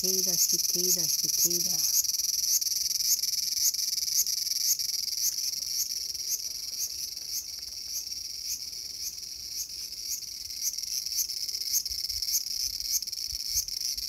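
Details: Cicada in a small garden on August 5, 2020: a brief lower wavering sound opens, then a constant high buzz with a regular accented pulse about every 0.55 seconds continues.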